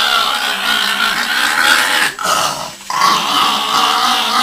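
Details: Yoshi, a pet Chihuahua who hates bath time, growls after being bathed. A steady, raspy, droning growl runs through a short gap halfway, then resumes at the same level.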